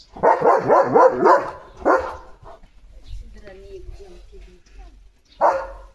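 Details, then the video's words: Leo the German Shepherd, barking as he runs about the yard one morning, lets out a fast volley of rough barks, then one more; a man's low speech fills the middle and a last bark ends it. "Leo The German Shepherd ची भयंकर सुरुवात 🐾 | सकाळची धमाल भुंकत पळत एंट्री!"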